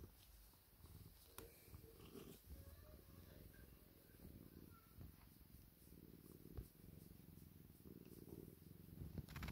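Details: Domestic cat purring while craving affection: a low, continuous rumbling throb in pulsing waves, with a few faint higher squeaky tones and occasional soft clicks.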